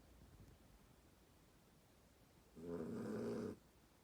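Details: Sleeping dog snoring once, a single rough, droning breath lasting about a second that stands out against faint low room noise.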